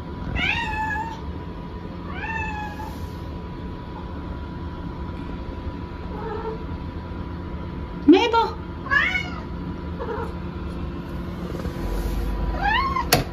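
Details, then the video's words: Pet cat Maple meowing insistently after being left out of the rest room: a string of short and longer rising meows, several in quick succession, with soft human voices and a sharp tap at the end. "I went to the rest room without Maple's permission this happens"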